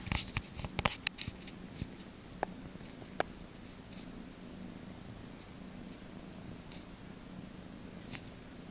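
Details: Steady, low purr from a cat receiving a massage at the cattery no Demetra, a constant droning hum under sharp clicks and rustles of hands on fur, busiest in the first second.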